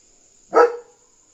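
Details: A German Shepherd on night guard duty gives one loud, abrupt bark, warning that a dog is outside; the single bark is short and harsh, with a brief tonal tail.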